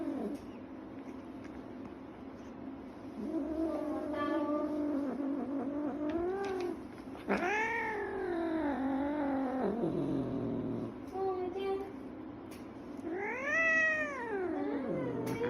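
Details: Scottish Fold cat upset after nail clipping: a series of wavering, complaining yowls, some long and arching, some short, separated by brief quiet gaps, with a final rising-falling howl.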